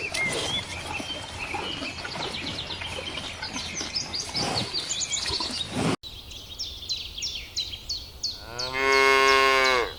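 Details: Countryside field with grazing cows: busy chirping birds fill the first seconds, including a repeated short high note, before one cow bellows a long, steady, loud moo of about a second near the end.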